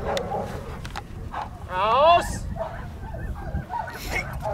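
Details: German Shepherd Aria vom Bakerhaus in bite-work training gives a loud, high, wavering whining yelp that rises and falls in pitch midway through, amid a person talking and handling noises.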